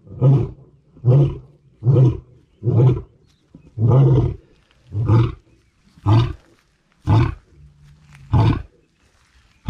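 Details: Lioness roar sequence: nine deep, grunting pulses about one second apart, each a short, low, throaty huff, fading near the end with a longer gap before the last grunts.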